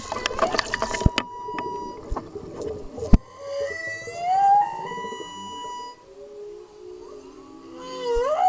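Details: Subadult humpback whale cruising past a blue-water snorkeler off Maui, Hawaii, its song very loud: long tonal moans that slide upward and hold, with drawn-out lower groans, after early splashy clicks and bubbling noise.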